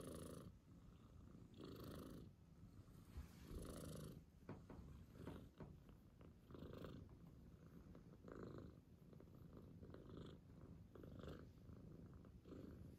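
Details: Domestic father cat with his kitten, purring steadily; a low vibrating rumble rising and falling with each breath roughly every two seconds, with a few soft clicks.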